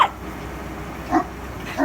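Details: Newfoundland dog, male, on guard after a winter storm in Montreal, barks at a snow removal truck in short, gruff, full-voiced bursts about a second apart, over a faint steady hum.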